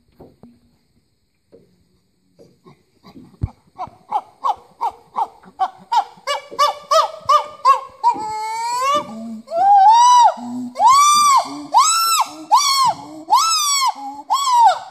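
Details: Rescued chimpanzees in the Congo: soft breathy hoots start sparsely, quicken into a rhythmic panting series, then swell into loud, drawn-out arching screams near the end.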